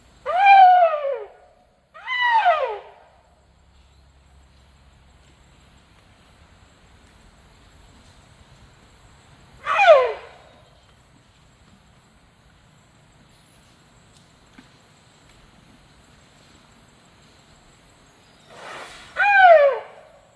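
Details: A tuskless male Asian elephant (Elephas maximus), which habitually calls to beg, gives short, high, squealing calls that slide downward, begging for food as grass is about to be thrown to it.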